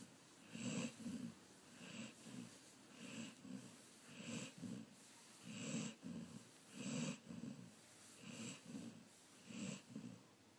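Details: Sleeping Golden Retriever Patrick with a regular snore of rough, nasal rumbles and airy wheezes repeating about every second, alternating softer and louder breaths; no other sounds.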